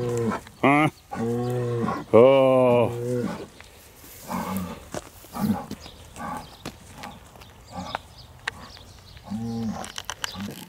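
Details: Hereford bulls being handled for fertility testing: a short low moo, then a long wavering bellow that rises and falls, followed by quieter grunting calls and a low moo near the end amid handling noise.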